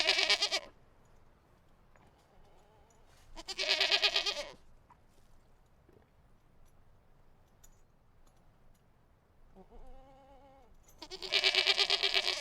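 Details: A goat bleats outdoors in loud, harsh, wavering bursts separated by quiet pauses.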